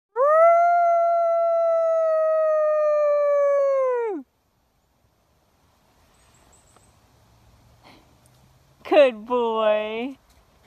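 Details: A gray wolf (Canis lupus) gives a long, steady, clear howl that drops at the end, then a shorter wavering howl.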